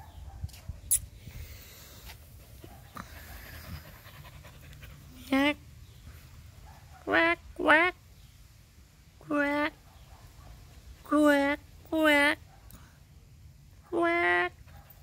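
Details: Husky named Whiskey, a pet dog playing with a bird, gives a series of short, wavering, tonal 'woo' calls in pairs and singles, separated by pauses of one to two seconds, over quiet indoor background.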